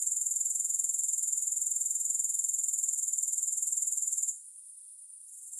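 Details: Grasshopper sound, no music: a rapid, high-pitched buzzing trill pulses evenly for about four seconds, then suddenly stops, leaving near silence with a faint trace of the trill returning at the end.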